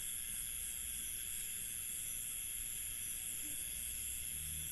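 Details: Many crickets call together at night in an Indian village, a constant high-pitched trilling merging into an unbroken shimmering wash; no single insect stands out, and a faint low rumble sits beneath.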